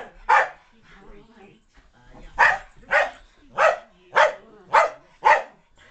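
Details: Loki, a Keeshond, chasing Spike, a Maltese-Yorkie-Poodle mix, in play indoors; a run of sharp barks about every half second after a brief exclamation and quieter sounds.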